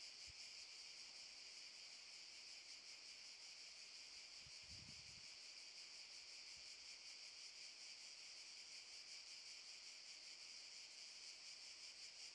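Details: Cicadas in Park Šuma Musapstan, Zadar, in August 2014: a dense, steady, shrill buzzing chorus with a fast pulsing texture that never lets up, with a soft low thump or two around the fifth second.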